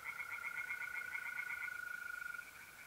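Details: Tree frogs sing by night in an Italian pond in April. Faint, quick, pulsed notes fade out after about two seconds. A smooth, unbroken mole-cricket trill holds throughout.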